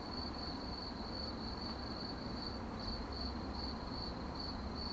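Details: Crickets chirping at night: sharp, high pulses repeat in a regular rhythm, briefly merging into a continuous trill, against a dull low background rumble.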